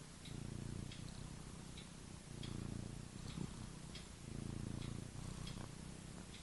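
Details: Sleeping, dreaming pet cat snoring: deep, purr-like rumbling breaths swell and fade in about four bursts, separated by quieter gaps, with scattered light ticking sounds.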